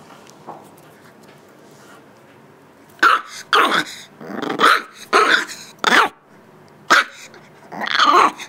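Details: Eight-week-old Shiba Inu puppy asserting itself toward its unflinching teenaged mother; after a quiet start, a run of shrill, raspy yaps comes roughly every half second, ending in a drawn-out growling bark.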